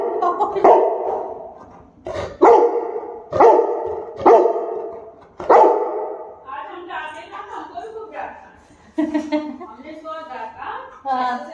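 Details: Tyson, a Cane Corso, barks indoors during preparations for his second birthday, with balloons being blown up and popped: five deep, harmonic barks spaced about a second apart, followed by people talking in Hindi.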